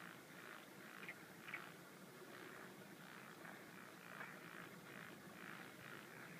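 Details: A Japanese wrinkled frog calls at night on 17 June 2013 in breeding season, in paddies or ponds, with low, creaky croaks repeated about twice a second over steady background hiss. The species has several call types.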